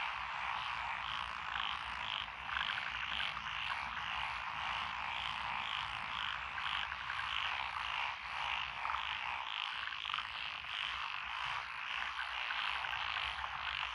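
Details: Dense chorus of frogs calling from lotus rice paddies along a rural road, Echizen, Fukui, Japan, recorded 12 June 2021, with tree frogs, pond frogs and wrinkled frogs among the singers. Overlapping rattling croaks pulse steadily throughout, over a faint low hum.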